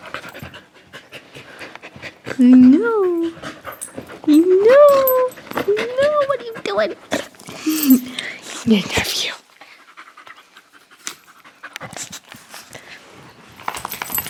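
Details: Buttermilk, a female dog rescued from a shelter hours before she was to be killed, gives high whining whimpers that rise and fall in curved notes, several over about seven seconds, amid panting, handling noises and a person talking to her.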